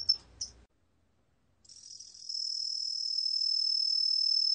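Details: Cheongsol cricket sound from a 2020 National Institute of Biological Resources recording: two brief high chirps, a pause of silence, then a steady high buzzing trill that swells in and holds continuously to the end.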